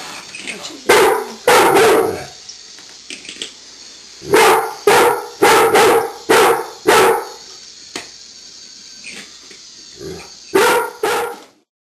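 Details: Golden retriever barking at a walking Lego toy indoors, uncertain what to make of it; sharp loud barks in clusters of two or three, some brief pauses, about nine barks across the stretch with faint mechanical whirring between.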